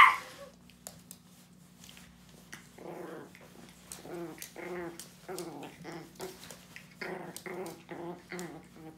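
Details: Annoyed 3 lb tri-color teacup Chihuahua named Bella growls softly indoors, a low rumbling series of pulsing grumbles that rise and fall roughly every second, with small clicks and rustles in a quiet room.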